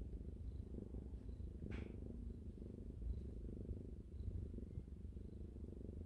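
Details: Newborn kittens, one day old, nursing from their mother Ji-Soon indoors. A quiet, even, low purr rumbles continuously, with one brief rustle near the two-second mark and little else.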